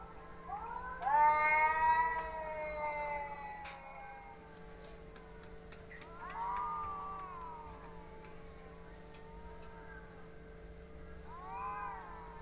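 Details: Fighting pet cats, a loud quavering yowl with wobbling pitch near the start, then quieter bending moans around six to seven seconds and a short rising cry near the end, over steady low hum.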